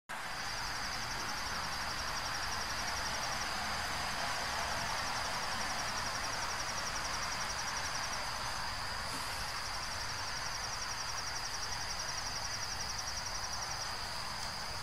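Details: Insect trilling in a continuous high, finely pulsed band with a short break near the middle, over a steady broad hiss of environmental noise.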